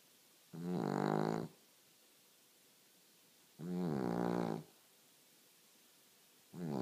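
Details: Dog snoring in its sleep with steady, droning, harmonic snores, each roughly a second long and repeating about every three seconds, three snores in a row over a quiet room background.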